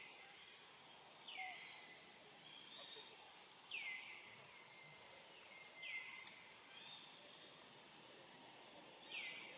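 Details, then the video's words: Lonely, hungry young monkey named Rainbow calls out for its family, giving four shrill cries spaced roughly two seconds apart; each drops sharply in pitch before trailing into a flat, thin whistle against constant background noise. "Young Rainbow Very Sad, Lonely and Hungry Keep Looking Around and Calling For Family, Poor Monkey"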